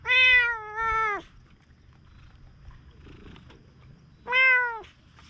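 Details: Stray cat on Aoshima, Japan's cat island, gazing at the sea; two clear meows, a long drawn first call with a slight dip and a shorter second one, quiet outdoor background.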